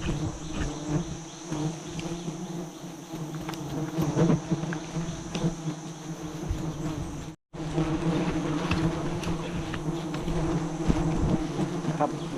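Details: Giant honey bees at a nest roughly 40 metres up during a honey harvest: a dense, steady low buzzing hum fills the whole stretch with faint crackles, briefly cut by a moment of silence midway.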